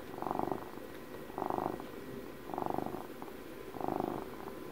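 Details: A twelve-year-old house cat purrs contentedly near the microphone, four distinct rumbling surges in under five seconds, each breath pulse buzzy and low with softer murmuring between.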